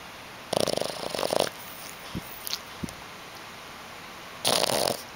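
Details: A female Boston Terrier, sleeping with her eyes not fully shut, snores incessantly in rough, rattling bursts, each breath a rasping snort with a pause between.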